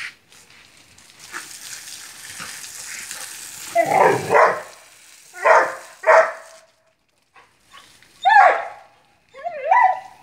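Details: Vizsla, a Hungarian pointing dog, barking in pairs of rough yelps, then sharper rising yips with whiny harmonics, with a person speaking Spanish nearby.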